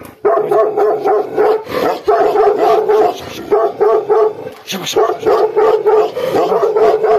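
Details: Gaddi dog, a Himalayan sheepdog also called Bhotiya, in an aggressive mood, giving rapid, harsh barks in dense bursts, several per second, with brief pauses between volleys.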